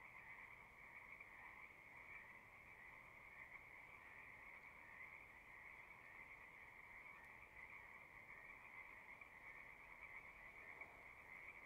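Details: Many frogs calling at a pasture pond, heard fairly softly, captured on a Zoom recorder: a steady, uniform trilling wash with no gaps and no other noticeable sounds throughout.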